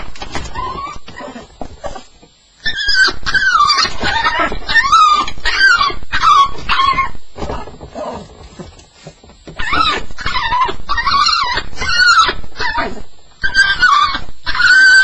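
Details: Whimpering from a Staffordshire Bull Terrier during a nightmare on its first night: rapid runs of high, quavering whines and yelps, roughly one and a half per second, broken by brief quiet gaps.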